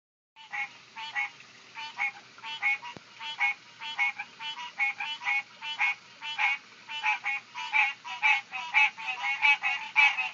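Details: Several tree frogs calling in summer, recorded on an Android phone: loud, harsh pulsed croaks repeated rapidly and irregularly, roughly twice a second, overlapping in a dense chorus.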